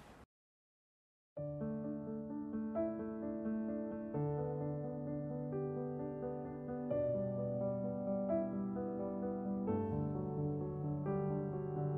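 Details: Gentle electric piano music with sustained chords plays after a brief silent start, and no animal is heard.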